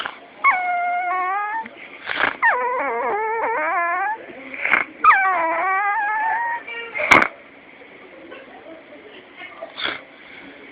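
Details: A dog making strange sounds: a run of high, wavering whines and yelping cries that slide up and down in pitch, broken by short breathy snorts and a sharp click, fading into quiet near the end.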